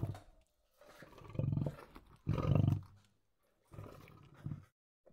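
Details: Feeding lion giving deep, rumbling growls: a longer rough growl, a louder harsh burst after a short gap, then quieter low grumbles with a final short growl.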